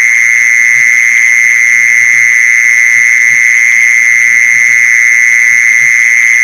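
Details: Lure recording of a mole cricket: a piercing, perfectly steady high trill running on without any gaps, overtones ringing faintly above it and a quiet low rumble in the background.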